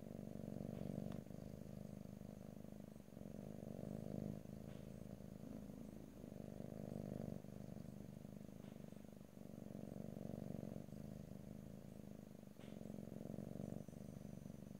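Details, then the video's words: A cat purring in a quiet stereo ear-to-ear recording without talking. The low rumble swells and fades in breathing cycles roughly every two seconds, with faint ticks between breaths. "ASMR Cat: Purring"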